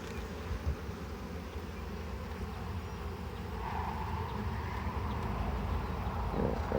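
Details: Honey bees on a very full frame during a hive harvest: a deep, steady buzzing drone, with a brighter, rustling, louder layer joining halfway through alongside handling knocks.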